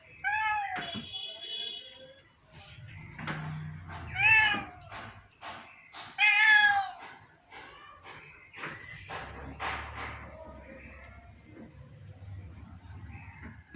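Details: Sick pet cat, said to be very ill, not eating or defecating for ten to twelve days, gives several wavering meows amid its owner's worried Bengali speech.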